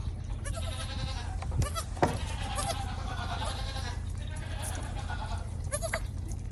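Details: Young goats feeding at a shared bottle feeder bleat constantly, with quavering calls crowding over one another, and a constant low rumble underneath.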